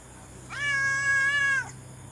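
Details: Thai orange stray cat fed late at night after finishing its meal, giving one clear, drawn-out, even meow lasting about a second, with a faint low hum behind.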